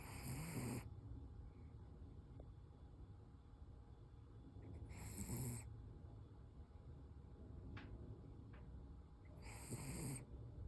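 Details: Sleeping Toy Poodle Koro gives three harsh, hissing snores about five seconds apart, each roughly half a second long. Soft breathing and a couple of faint ticks fill the gaps.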